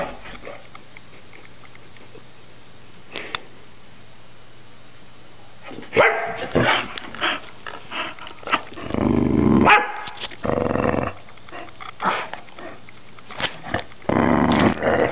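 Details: A female dog named Beefy, chasing her tail and being trained to sit, gives short barks and yips in bursts after a quiet start, with a person's voice giving commands between them.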